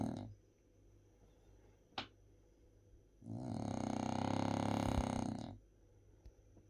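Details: Napping French Bulldog named Bob giving a long, rough, rattling snore of about two seconds between quiet stretches, with a brief click near the start.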